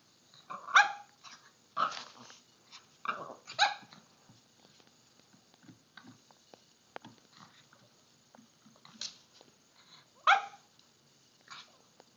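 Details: Miniature Pinscher indoors, scared and barking at a Halloween pumpkin: sharp, high barks in quick pairs and short bursts, separated by soft growls and quiet gaps.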